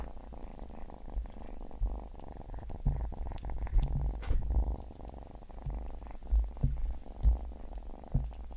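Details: Pet cat eating shrimp while purring, with a continuous deep, even rumble under frequent sharp crunching and smacking chewing noises spread across the whole stretch, in a quiet room without speech.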